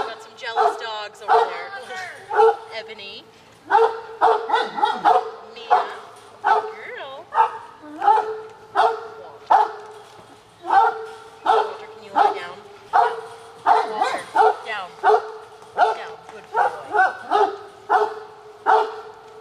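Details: Several household dogs, among them Lola, Ebony, Mia and Willow, bark insistently at afternoon snack time. Sharp loud barks come roughly once or twice a second in a steady volley, with a person's voice giving sit and down commands between them.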